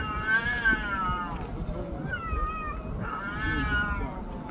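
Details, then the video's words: Street cats quarrelling loudly, long wavering howls that bend up and down in pitch, two main outbursts with a short gap, against low rumbling background noise. "야~~~목소리 큰놈이 이긴다"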